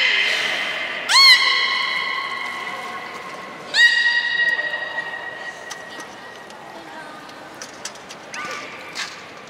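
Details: Beluga whale at Port of Nagoya Public Aquarium, Japan, recorded 3 February 2019 around feeding and play time: sharp rising whistles with stacked harmonics near one and four seconds, followed by fainter chirps and clicks.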